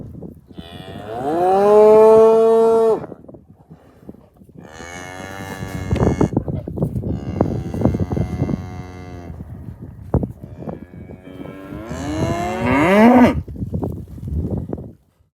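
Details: Red Angus cows walking through snow at the start of a snowstorm in Eagle, Idaho: a long, deep, harmonic moo, a rougher drawn-out bellow, then a rising moo near the end, with steady wind and crunching steps between.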